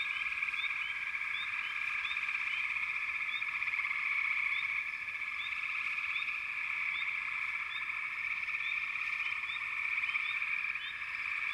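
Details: A continuous chorus of frogs trills without pause, while short upward chirps repeat above it, denser early on and again near the end.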